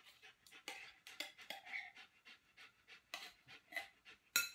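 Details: Lilly, a trained Giant Schnauzer in Columbia, South Carolina, lying down in place while waiting for her food to be prepared, pants in quick breathy bursts, with a sharp metallic clink near the end.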